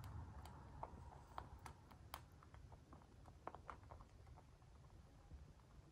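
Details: A dwarf-breed pet rabbit chewing crunchy food, making quick dry crunches and clicks at an uneven pace.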